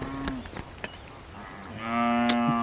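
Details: Hallikar cattle in a herd being taken to graze in Harohalli Taluk: a brief low moo, then a steady sustained moo rising in loudness near the end, with scattered clicks and knocks around.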